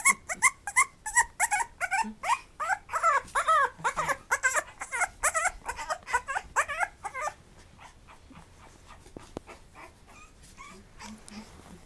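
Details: Lively male puppy that already eats weaning food, giving a fast run of high, wavering whimpers and yelps about three per second for seven seconds, then falling quiet with only faint soft whines and small room noises.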